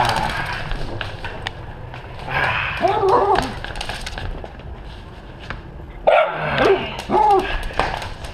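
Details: Stan, a mini dachshund, dashing and bouncing around, gives a few short, yelping barks with bending pitch near the middle and end, over steady room noise, human voices and exclamations.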